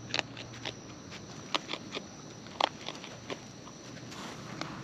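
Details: Raccoons eating in the wild at close range: a handful of separate crunchy bites and clicks spaced irregularly, with faint rustling between them.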